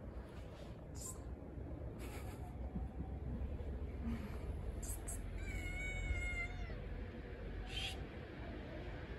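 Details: A hungry blind stray cat living on the street waits to be fed. It gives a single thin, level meow late in the recording, mostly buried under constant low-pitched street rumble and scattered short knocks.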